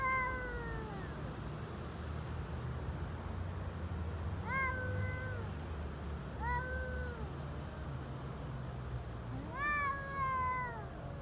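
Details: Hungry stray cats on an Istanbul street in Turkey, meowing for food as they eat. Four drawn-out, falling meows come every two to three seconds over a constant low background rumble.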